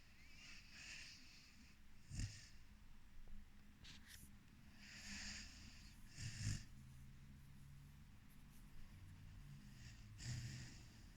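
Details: Snoring from Floki, a four-month-old Rhodesian Ridgeback pup: slow, uneven rumbling snores with airy exhalations, louder snorts at about two, six and ten seconds, breathing hiss throughout.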